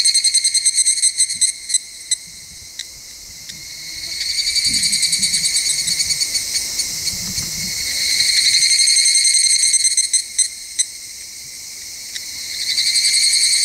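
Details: Summer evening cicada chorus in rural Ikusaka village, Nagano Prefecture, Japan: high metallic pulsed trills swell loud, fade, then rise again in waves, with scattered sharp ticks and soft low rustles beneath.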